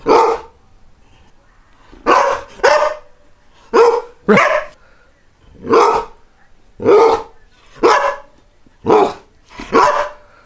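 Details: Greyhound barking around eleven times, mostly single barks with a few close pairs, spaced about a second apart over a constant low hiss.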